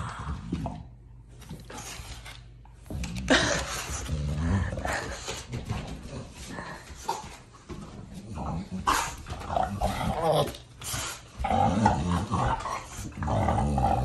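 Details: Lakai, an American Bully, growls in rough bursts while tugging on his new toy in a game of tug of war indoors, with snorts and scuffling, a short bark-like outburst, and a man's voice talking over him.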